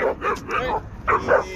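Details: Dog at a dog park during a fight between a Pit Bull and a Belgian Malinois: a quick run of about six sharp, yappy barks in under two seconds, a human voice nearby.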